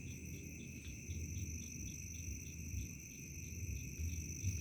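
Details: Crickets calling at dusk toward nightfall in a remote village: steady high ringing tones overlaid with quick pulsed chirps repeated more than twice a second, over a low rumbling rural background.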